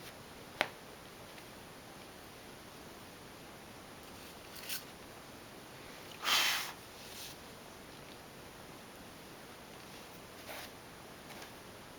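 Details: Quiet indoor room with a few soft rustling and brushing noises and brief clicks.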